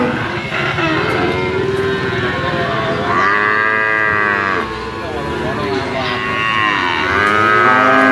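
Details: Sacrificial cattle in a pen at weighing time: a series of loud arching moos, with a short pause near the middle, followed by further rising-and-falling calls.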